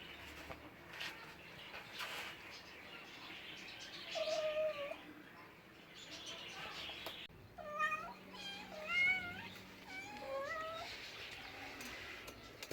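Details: Domestic cats meowing: a single wavering mew near four seconds, then a run of several quick rising-falling mews between seven and eleven seconds, with a faint low hum and background hiss.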